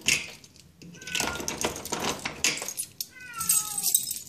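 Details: Pet cat Zlatan greeting his owner on arrival home: a brief falling meow, then a longer drawn-out meow sliding downward, amid rustling, key jangles and clicks.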